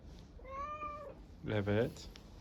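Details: Hungry stray street cat in Istanbul, Turkey, meowing for food: one steady, slightly rising meow of about half a second, followed by a louder, lower, harsh, voice-like sound.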